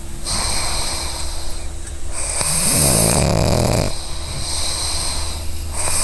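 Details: A female pug dreaming and snoring: one long, rough snore swells near the middle, with steady low background hum before and after.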